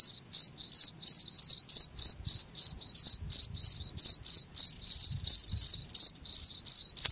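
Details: A cricket chirps steadily, each pulse a short shrill burst with layered high overtones, repeating four times a second, meant to keep rats away from an area; a faint low rumble sits underneath.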